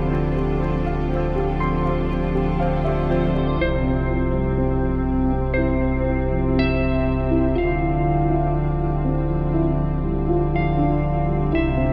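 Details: Soft ambient keyboard music with sustained chords plays throughout, and no animal sounds are heard.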